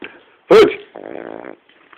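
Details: Cavalier King Charles spaniel snoring: a sudden loud snort, then a rattling, pulsed snore lasting about half a second, followed by silence.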